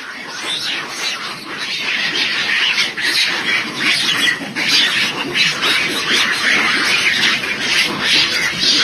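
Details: A monkey troop gives harsh, high, overlapping alarm shrieks and screeches in rapid, irregular bursts after mistaking a pheasant for an eagle, a constant loud chorus of many voices.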